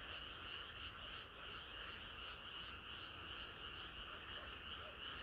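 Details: Frogs in full chorus on a warm summer night, fast overlapping croaks forming a continuous buzzing throb with a quiet low-frequency hum behind.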